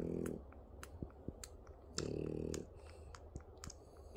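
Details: French Bulldog puppies nursing for the first time give low, buzzy droning grunts in two short bursts about two seconds apart, with faint clicks and shuffling in a quiet indoor room.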